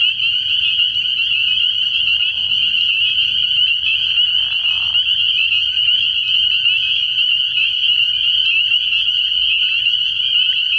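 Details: Many spring peepers call together at a frog pond after dark in early spring. Their high, insistent peeping merges into a constant bright whine, broken only by a short lower rasp in the middle.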